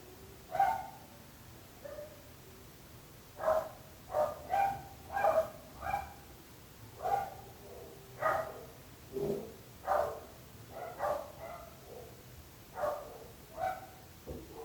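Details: Barking dogs, of the kind the description blames on neighbours' poor dog keeping: about eighteen sharp, harmonic barks in irregular bursts, some doubled in quick pairs, with short gaps between them over a steady low background hum.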